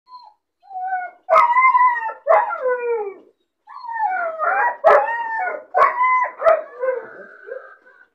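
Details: Lonely, bored puppy caged alone, crying as it sees other dogs playing outside: a series of howling, whining cries that bend up and down with harmonics, broken by sharp short yelps, in clustered bursts over about eight seconds.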